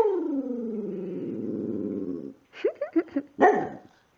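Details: Precious, a female dog 'singing' on 5/6/2011, holds a long, steadily falling, warbling moan for over two seconds; a woman's voice follows, asking whether she likes her chair.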